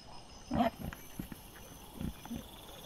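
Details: Wild boar piglets caught by a trail camera on 12 September 2024: a sharp squealing grunt near the start, then several short low grunts spaced through the rest, over a faint steady background hiss.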